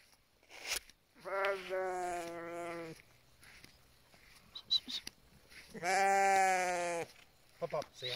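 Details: Sheep in a flock guarded by a young Bully Kutta and Tibetan Mastiff cross in the mountains of BC, Canada: two long wavering bleats of about two seconds and one second, with brief rustling between.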